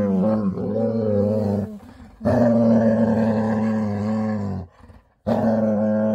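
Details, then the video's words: Female Labrador retriever making her happy growl at bedtime, in long droning, moaning rumbles of about two seconds each, separated by short gaps and a near-silent pause. "Cutest Dog With Loudest Happy Growl Before Bedtime | Adorable Labrador Daily Happy Growl"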